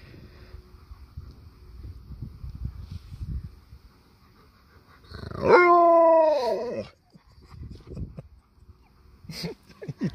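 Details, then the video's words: Sherpa the Alaskan malamute, who lives in a van, lets out one drawn-out howl of about a second and a half when his paw is touched. The howl is bright and richly harmonic, easing slightly downward. Quiet rustles and clicks come before and after. "Touch my Paw again! I Dare You! Malamute with Attitude"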